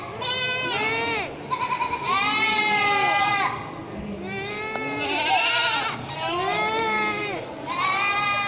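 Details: Farm goats making a loud racket: a chorus of long, quavering, harmonic bleats every second or two, several animals overlapping, some calls arching up and down in pitch, with a steady murmur beneath.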